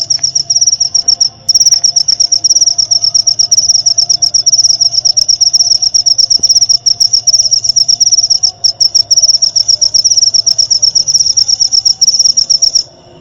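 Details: High, shrill cricket chirping meant for songbird training and therapy, rapid pulses running almost unbroken with two brief gaps, fading out at the very end; a soft low hum lies underneath.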